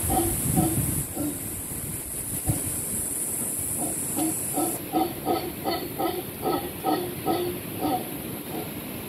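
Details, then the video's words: Howler monkeys over a cabana at Camaroncito EcoResort on Panama's Caribbean coast, in rainforest by a beach cove: deep grunting pulses, about two or three a second, over a steady high hiss. "Howler monkeys over our cabana."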